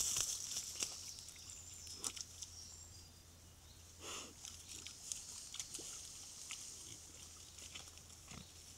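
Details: A family of wild boar with six piglets, probably 2 to 3 months old, give short snuffling grunts and squeaks over a steady high hiss and low hum.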